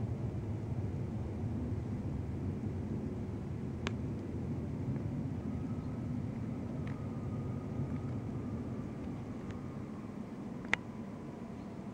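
Steady low traffic rumble with a few sharp clicks and a faint distant whine; no animal voice.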